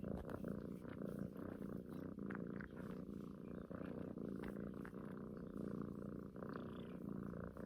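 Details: Purring of a pet cat cuddled up with a person, a female that suckles at the neck as if drinking her mother's milk; continuous low vibrating rumble with faint rustling clicks from movement over it.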